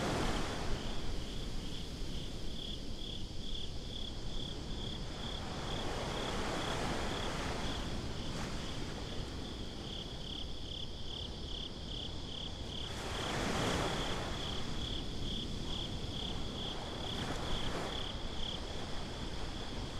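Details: Night-time beach chorus of crickets, a high, evenly pulsed chirping that runs almost unbroken and thins briefly mid-way, set against a deep wash of surf and wind, with waves breaking louder near the thirteenth second.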